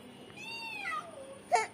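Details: A house cat being fed fish from the fridge gives a single clear meow that rises and then slides down over about a second, ending in a short thud, inside a small room.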